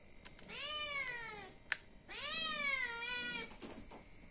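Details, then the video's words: Hungry cat meowing indoors to ask for food: two long, drawn-out meows, each sliding downward in pitch, with a sharp click between them over quiet room hum. "The sound of a cat meowing for food, because it is hungry."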